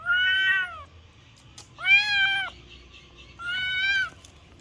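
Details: Kitten meowing loudly three times in a row, each drawn-out cry about a second long, steady then slightly falling, spaced roughly every one and a half seconds, with a faint click between calls.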